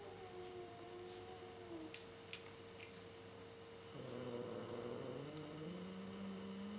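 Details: Indoor recording of a younger sister cat growling at an older black cat. Quiet at first, then from the midpoint a louder, low moaning growl swells and rises slightly in pitch, held for several seconds against a constant background hum.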